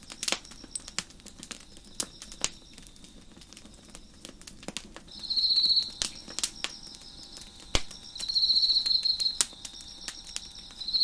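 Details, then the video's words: Crickets near an open fire on a deck: several seconds of fire crackle and popping, then two high buzzing pulsed trills about a second long, separated by a pause of roughly two seconds. "Crackling Fire on the Deck with Crickets Chirping in the Background"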